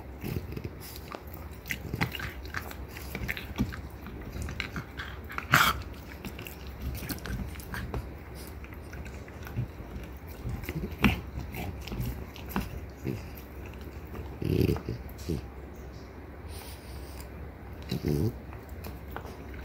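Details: A French Bulldog mother and daughter, Ume and Roku, both female, chew deer antlers in a small room: sharp grinding crunches and clicks come in irregular bursts, with a few louder cracks, over a low hum.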